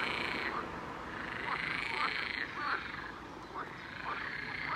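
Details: A dense chorus of toads at a lake in Brest (Gershony district), giving mating calls: overlapping croaks and trills about four times a second, a steady, ringing mid-pitched drone. The calling lasts two months and is loudest at night.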